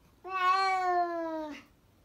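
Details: Domestic cat giving a single drawn-out meow of about one and a half seconds, clear and harmonic, holding a steady pitch before sliding slightly downward at the end, in a quiet indoor setting.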